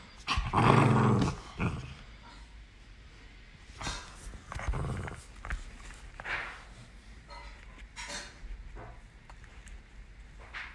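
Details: Miniature Pinscher puppy named Galu playing indoors: one loud rough growl burst near the start, then shorter, quieter grumbling growls scattered through a small room.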